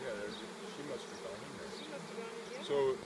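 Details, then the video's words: Bees of a fallen swarm actively moving into a box as they are collected; even droning hum throughout with a brief louder buzz near the end. "Baji's Swarm"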